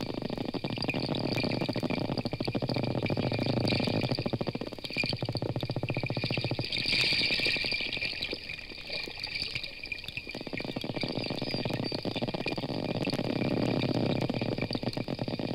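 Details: Underwater hydrophone recording of a school of 20 or more wild bottlenose dolphins in the Gulf of Mexico, Florida, first heard about a quarter mile from the boat: a dense stream of rapid clicks and crackling pulses.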